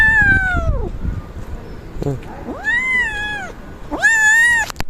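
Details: Kittens eating yogurt: clear drawn-out meows, three in five seconds, each a tonal cry that rises then falls, with a woman speaking Turkish and light household rustle beneath.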